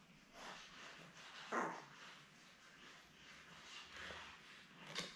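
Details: Newborn Labrador Retriever puppies, a litter of seven born May 24, 2021, with their mother Belle on an indoor puppy cam; one short, sharp yelp rises from soft background rustling, followed later by a faint squeak.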